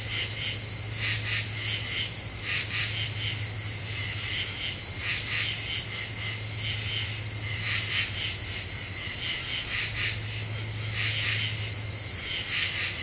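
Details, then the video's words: Common true katydids singing at night under a half moon in deciduous forest, Ozarks, Eastern U.S., after cicadas have stopped: harsh, raspy pulse bursts in short clustered groups, repeated about every second, over a steady high insect whine and low hum. "Half Moon and Common True Katydids"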